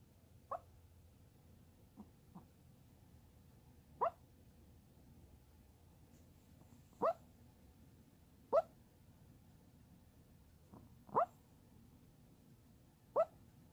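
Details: A Chihuahua dreaming while asleep: short soft yips and whimpers, single brief sharp notes spaced a second or more apart, over a low steady background hum in a quiet room.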